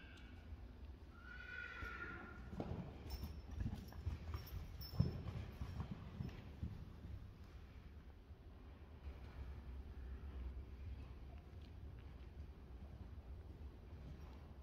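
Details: A 6-day-old Friesian filly at play in an arena gives a brief, high, tonal whinny near the start, followed by soft hoof thuds and scuffling on the arena ground.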